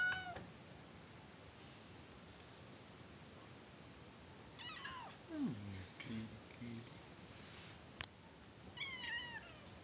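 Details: House cat that reportedly cannot stand its owner, uttering several short, bent meows, a low growly call near 5.5 seconds, and a final high repeated mewing, over quiet room hiss with one sharp click.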